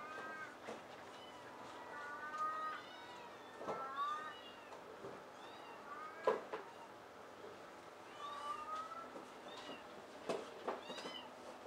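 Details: Pair of big adult shelter cats in a Tokyo rescue cat cafe, chasing and grooming each other; quiet, repeated bent meows scattered through the clip over soft indoor background noise and taps.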